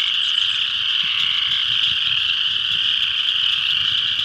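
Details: Full spring chorus of spring peepers at a northeast Kansas pond, countless shrill high peeps blending into a steady ringing band, with faint low rumbles beneath.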